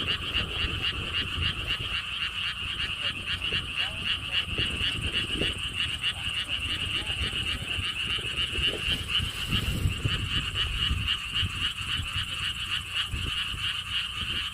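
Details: Frogs calling at the Lotus Theme Park in Siheung, Korea, beside a stone wall path; a dense chorus of rapid, regularly pulsed croaks, about four per second, with low rumbling wind or traffic noise underneath.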